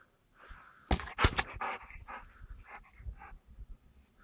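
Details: Golden Retriever dog returning a ball on its first attempt; quick breathy panting bursts with a few sharp thumps and soft mouth noises, irregular through the recording.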